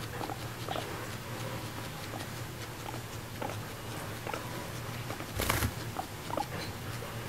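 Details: Female pet guinea pig named Moru-chan, adopted at one and a half years old, chattering while eating grass as if inviting her owner to eat together: short soft squeaky calls scattered among steady munching, with a faint room hum.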